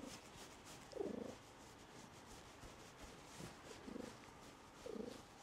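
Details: Orange house cat named Karl purring close to a DJI Mic 2 and Osmo Pocket 3; soft underlying rumble broken by three louder throaty surges, roughly at one, four and five seconds, over faint rubbing noise.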